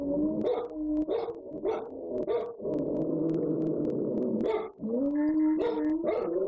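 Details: Home-alone pet dogs in full chorus while their owners are away. Continuous overlapping howls, one low and one higher, slide up and down, punctuated by quick yelping barks about once a second.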